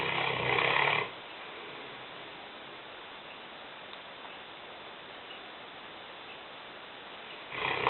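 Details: Five-year-old female Newfoundland Lena, weighing 150 pounds, snores heavily in a kitchen. One gravelly, buzzing inhalation lasts roughly a second, then six seconds of near silence pass before another rough snore starts.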